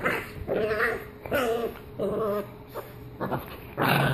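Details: Pit bull in playful defensive mode; four or five harsh growling bursts, each about half a second, mixed with a bark-like snap at the end.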